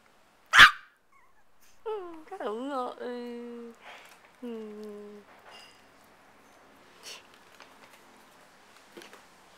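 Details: Micro teacup poodle of Swamp Rats and Velvet Touch bloodlines from Alabama, now living in Hong Kong, indoors: a sharp knock, then high harmonic whines, one wavering and one long and steady, a later falling whine, then near quiet.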